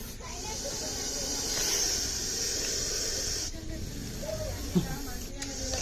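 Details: Indian Russell's viper hissing during a snake rescue: a steady, breathy, high hiss held for about three and a half seconds, a brief break, then a fresh burst, with low murmuring voices underneath.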